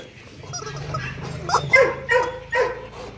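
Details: Two-year-old male Rottweiler, a breeding dog at a kennel, during play; a few short, high whining yelps repeated about every half second over a low background hum.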